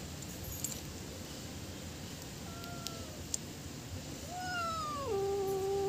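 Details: Cat meowing to attract other cats: soft faint tones early, then a long rising-then-falling meow that drops sharply and settles into a steady, sustained low-pitched drawl, with light clicks in the background.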